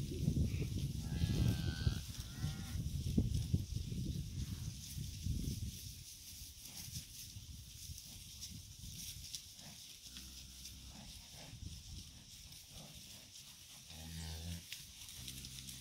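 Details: Cows with calves heading out to summer pasture on a farm; after a stretch of low rumbling movement noise, a few short, deep moos with clear harmonics sound near the end, one around the eleventh second and another around the fourteenth.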